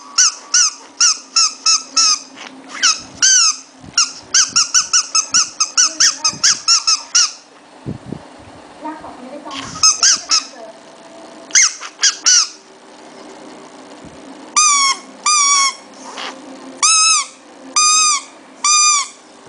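A Shih Tzu puppy gives rapid, high-pitched squeaky squeals in quick bursts.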